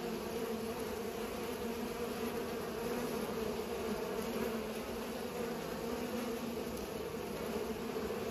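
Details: Pollinating bees give a continuous droning buzz, even in pitch and loudness throughout, like a soft steady motor hum with faint overtones above.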